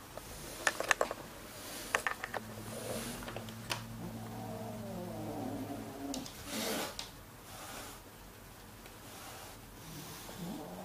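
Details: Siamese kitten Keiko, about three months old, settling in with her half-brother Zen, about one year old, indoors in August 2009. A low, steady moaning call gives way to a softer meow that slides downward, among handling clicks and rustles.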